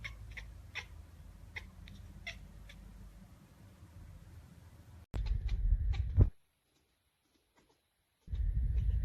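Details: Baby cats making funny talking noises: short high meows repeated rapidly over a low background hum for five seconds, then loud low rumbling handling noise, a silent gap, and more rumble.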